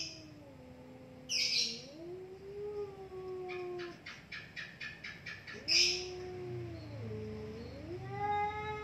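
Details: Two cats confronting each other until one gives up. Long moaning yowls bend upward and down in slow arcs, separated by a rapid run of soft pulses and a sharp high chirp, with faint background twittering.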